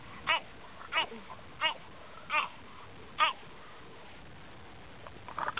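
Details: French Bulldog barking at elk: five short, sharp barks spaced roughly two-thirds of a second apart, then a brief faint sound near the end over quiet background hiss.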